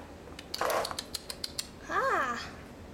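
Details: Sphynx or Bambino kitten from a cattery litter gives one arched, rising-then-falling meow after a run of sharp clicks and knocks indoors.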